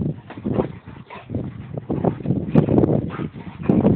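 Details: A Boxer and a Labrador wrestle in mud; loud throaty growls and grunting huffs repeat in uneven bursts throughout, deep and gritty, with scuffling noise.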